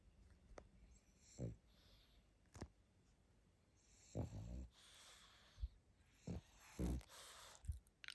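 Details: Sleeping pug snoring: low rumbling snorts and wheezy breaths in uneven bursts, with some sharp clicks and brief hissy noises between breaths.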